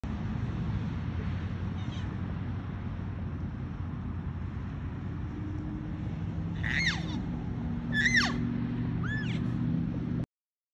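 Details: Elk bugling near a lodge in Colorado, where a male and several females take turns calling. Three thin, high, whistled bugles rising and falling come late in the recording, over a steady loud low rumble.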